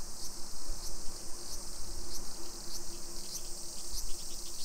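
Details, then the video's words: Cicadas singing at 1 PM on a July 2021 summer afternoon in suburban Nisshin, Aichi, Japan: a continuous high-pitched buzzing wall of sound with faint ticking pulses, a low hum and street noise beneath. "Summer Cicadas Sounds"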